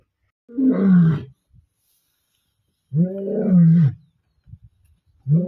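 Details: Fighting male lions from rival coalitions, recorded 29 December 2023: drawn-out, deep, falling growl-roars about a second long, repeated roughly every two and a half seconds, with short grunts in between.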